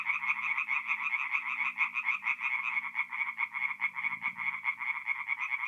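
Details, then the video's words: Chorus of tree frogs at a forest pond by night, mid-April, North-East Italy: fast, repeated rasping croaks running together into a steady pulsing din, with a faint low hum beneath. "relaxing forest pond by night with singing tree frogs"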